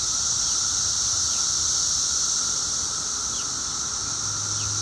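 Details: Periodical 17-year cicadas two weeks after emergence, at their loudest: a dense, steady, high-pitched droning chorus with a faint pulsing shimmer, unbroken for the whole stretch.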